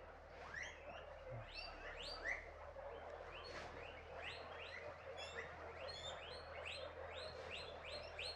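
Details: A group of guinea pigs (cuyes) raised by Quichua villagers in the Andes of Ecuador gives rapid, overlapping high chirps and squeaks, each note sweeping briefly upward, as they're fed alfalfa.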